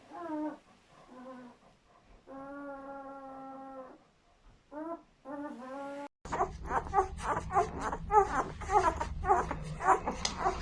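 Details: Whimpering newborn German Shepherd puppies, part of a seven-pup delivery: short rising squeaks and one long steady whine, then a noisier stretch of rapid repeated cries over background rumble.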